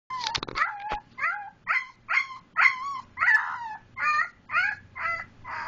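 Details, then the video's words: A husky/German Shepherd mix puppy gives a series of short, wavering howls, about two each second. "Husky puppy howling"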